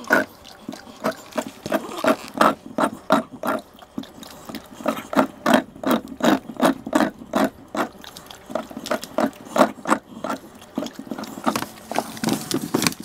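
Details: American Bully dog indoors in a small room, making rapid, rough grunting snorts, roughly three per second, with uneven rhythm and short pauses, in a nasal, pig-like tone.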